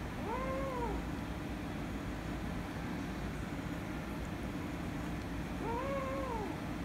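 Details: Two arched meows about five seconds apart, each rising and then falling, from an angry kitten and a calico cat fighting. A steady low rumble runs underneath.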